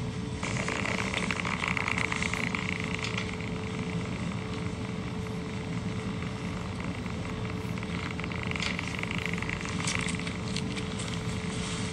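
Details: Continuous street traffic noise with a steady mechanical hum, and no animal calls are audible.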